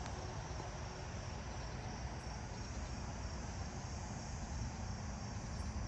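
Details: At night in a neighbourhood, a distant robust conehead sings a steady, unbroken high buzz from further down the way, over low traffic rumble.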